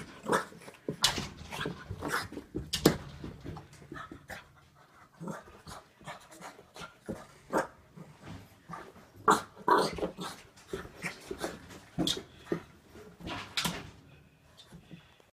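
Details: Little female bulldog squaring off against her reflection, which she takes for another dog. Heavy, raspy breaths and snorting puffs come in uneven clusters throughout, some with a throaty, voiced edge, while faint background voices are heard.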